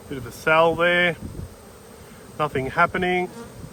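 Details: Honey bees buzzing close by during a hive inspection on 19/3/22: two clusters of short, steady, harmonic-rich buzzes, each burst under half a second, separated by a quiet gap of about a second.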